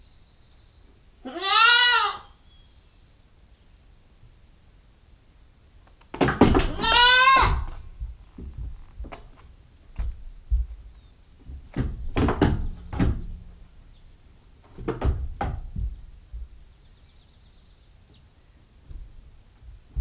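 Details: Nubian goat, a 9-week-old female kid, on GoPro: a short wavering bleat, then a louder, longer one, followed by shuffling and knocking noises while small birds chirp steadily in the background.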